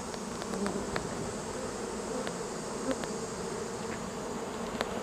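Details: Honeybees swarming as they move in: a continuous, even, buzzy drone of many wingbeats with faint scattered clicks.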